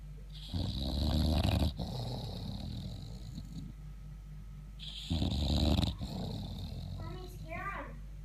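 An English Bulldog snores in deep, rumbling breaths, each lasting about a second.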